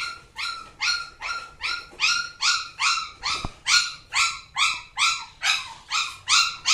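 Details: Samoyed dog, described as from Alaska, giving a fast run of high, harmonic yipping barks, about two to three per second, each rising then falling slightly, steady and insistent, clear and close.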